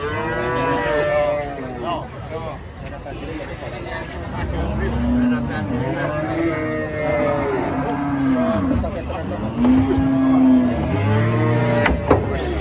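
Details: Huge cow raging during loading beneath a large tree, bellowing a series of arched, mid-pitched moos that swell and fade, one after another, with people's voices and a vehicle rumbling in the background.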